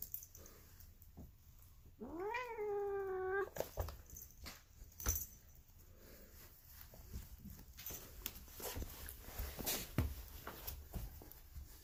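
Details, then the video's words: Female polydactyl cat making weird noises: a single meow that rises sharply, then holds a slightly falling drawn-out tone for about a second, followed by clattering, tapping and rustling. "Mutant Cat Makes Weird Cat Noises She Sounds Like Marge Simpson"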